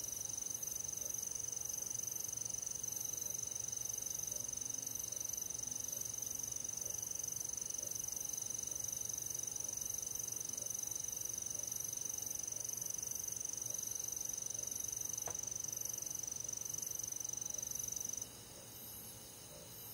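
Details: Crickets and other insects on a summer night in the countryside: very high, rapid chirps repeated about two or three times a second. A steady high whine runs underneath until near the end, when it stops and the chorus quiets.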